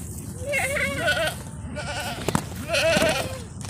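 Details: Bishi goats, a herd of 60 with 30 kids, on the coast north of Al Qunfudhah, Saudi Arabia; two drawn-out, quavering bleats about two seconds apart, with a sharp knock between them.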